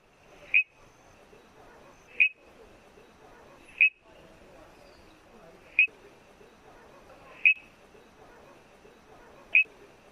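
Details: Chari's bush frog, a grassland-dwelling frog endemic to the Nilgiri region that calls from small bushes and grasses through the monsoon season, gives monotonous short, high, single-note calls roughly every two seconds.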